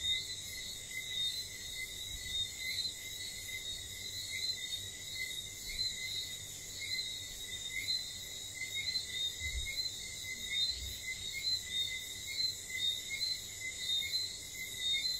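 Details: Nighttime whistling frogs on St. Lucia make quick, sharp whistled notes repeated steadily through the clip, half-buried in a dense continuous insect drone with occasional low thumps.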